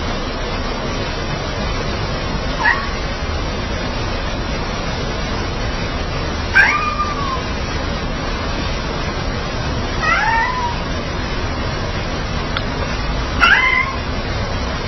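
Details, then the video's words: Plump, fluffy domestic cat coaxing as if apologising: four short wavering meows at roughly three to four second intervals, each rising then bending down, over a steady low background hum. "Kucing Gebu Merayu rayu macam minta maaf"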